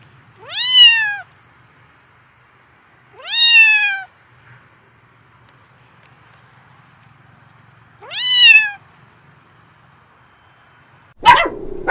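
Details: Domestic cat meowing three times over about nine seconds, each call a short harmonic cry that jumps up sharply and slides back down, with long quiet gaps between and a brief loud clatter at the end.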